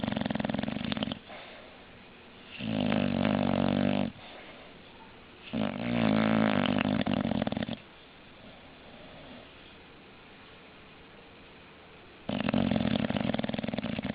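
An English Bulldog snores heavily, each breath a deep, rattling rasp lasting a second or two. Quieter wheezy exhales fill the pauses between the loud snores.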